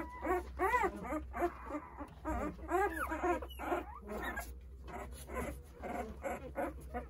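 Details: Newborn Jindo puppies, a litter of nine aged eight days, whimper and squeal in overlapping, rising and falling cries while searching for their mother as she eats a snack.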